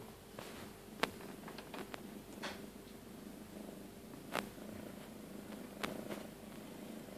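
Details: A female tabby cat purrs steadily while giving birth to her second kitten, a low continuous rumble broken by a few soft clicks and rustles.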